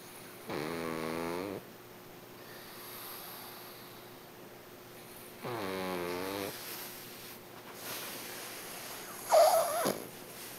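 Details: Hachi the dog snoring in two long, rumbling, buzzy snores roughly five seconds apart, with quiet breathing between them.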